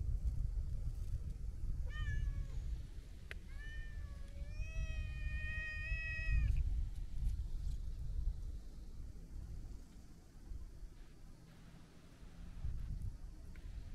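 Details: Chatty long-haired brown tabby-and-white cat relaxing at the seaside while being petted, giving a few harmonic meows, one short then a long steady one near the middle, over low rumbling wind and surf noise.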